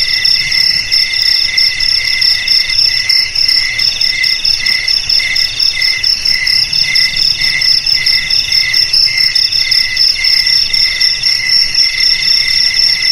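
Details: High-pitched cricket trilling, meant to frighten rats from homes, garages, warehouses and rice fields, runs unbroken in stacked shrill bands with rapid regular pulses and a soft low rumble underneath.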